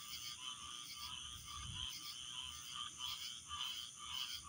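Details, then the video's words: Many frogs chirping at once, their high, rapid notes blending into a steady pulsing chorus over faint low background noise. "chirping frogs"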